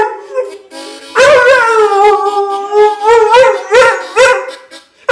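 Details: Pet dog singing along to a bluesy harmonica tune: loud sustained wavering howls with bright harmonics, pitch wobbling up and down in repeated swells about twice a second, blending with the reedy harmonica.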